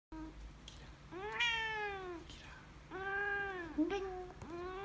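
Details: A white Siamese cat "talks" in long, drawn-out meows that rise and fall, with a low hum behind.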